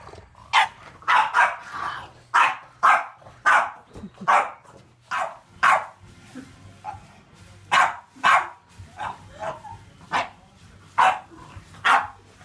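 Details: Aggressive, reactive male French Bulldog barking through obedience training: a steady run of loud, sharp barks, often doubled, about one each half second, with a low background hum.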